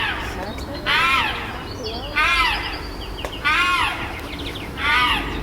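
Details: Captive chimpanzee group on Chester Zoo's Chimp Island, noisy amid fights and displays after a new baby arrives: four loud, arching, harmonic screams, each about half a second long, spaced about a second and a half apart.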